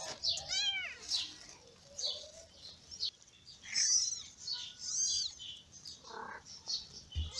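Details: Newborn kittens of a ginger mother cat, born in May, crying as they feed: scattered high squeaky mews, some in overlapping clusters, with soft rustling and handling noise between them.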